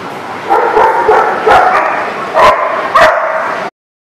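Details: Dog barking, about five sharp, strong barks spaced roughly half a second apart, fairly harsh with tonal edges, ending abruptly.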